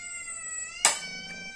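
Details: Hungry cat asking for food, a long steady high-pitched meow with many harmonics, broken by a sharp click or thud midway.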